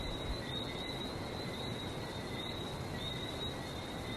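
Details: Many frogs calling in Barbados, quick high whistled notes repeating and overlapping into a dense steady chorus, backed by a broad low rumble of ocean surf.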